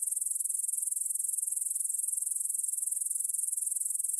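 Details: ['Evening chorus of grasshoppers in the field by the Svensky monastery in Bryansk, Russia, 9pm, 6 September 2020, Tascam DR-44WL stereo: continuous thin, high hissing chirr, finely pulsed and unbroken throughout.']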